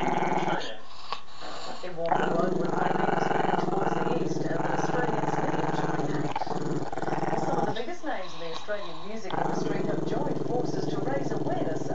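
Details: Long unbroken growl from Chester, a Maltese-Shih Tzu puppy who dislikes being filmed: a low, rough, rattling drone held for many seconds, with brief human speech near the start and again around the eighth second.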